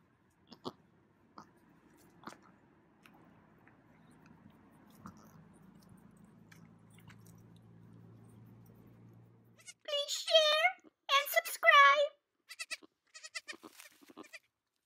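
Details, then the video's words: Bambi, a 3-day-old female baby goat on a ranch, joining her family for the first time: quiet rustling and chewing, then a burst of high, wavering bleats with several short bleats following near the end. "Adorable 3 Day Old Baby Goat Is Free!!"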